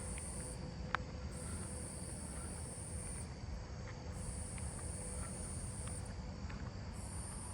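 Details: A Nebraska conehead sings in high, buzzy bursts of a second or two, broken by brief pauses, heard on a 7/25/26 night walk through a neighbourhood.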